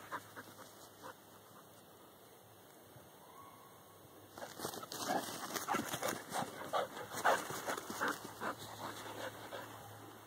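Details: Dog named Corky behind a fence, facing a whitetail doe with twin fawns that challenges the dogs; four quiet seconds, then a run of sharp, irregular barks, roughly two or three per second, fading toward the end.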